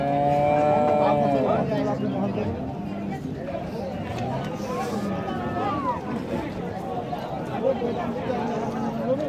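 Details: Cow lowing outdoors in Bangladesh: a deep harmonic moo in the opening second and a half, then men talking, passing vehicles and general outdoor bustle.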